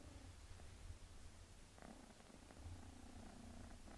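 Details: Purring from a mother cat named Melania as she bathes her kitten daughter Pinky, a steady low rumble with faint brief higher sounds over it, indoors.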